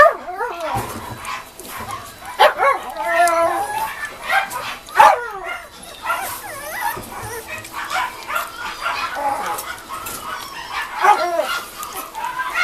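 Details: Mame Shiba puppies at the start of weaning food, several whimpering and yipping at once: high, wavering whines and short yelps overlapping continuously over a noisy background.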